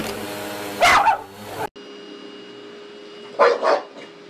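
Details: A dog barking at a vacuum cleaner: one loud bark, an abrupt cut, then a quick double bark near the end, with a constant humming drone underneath throughout.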